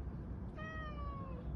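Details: Siberian cat stuck in a tire, trying to escape, gives one long drawn-out meow with a clear harmonic stack, slightly falling at the end, over a low background hum.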